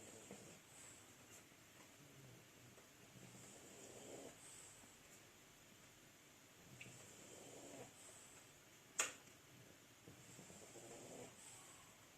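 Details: Two French Bulldogs asleep, snoring softly: raspy, breathy snores return about every three to four seconds, with a single sharp click near the end over a faint steady room hiss.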